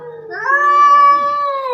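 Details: Orange domestic cat in a territorial fight with another orange cat: one drawn-out, steady, nasal yowl that jumps up in pitch early, holds level, then sags slightly at the end.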